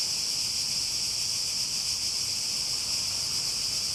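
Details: Cicadas singing in a steady, unbroken high-pitched buzzing drone that holds one even pitch band throughout, with no other clear sounds.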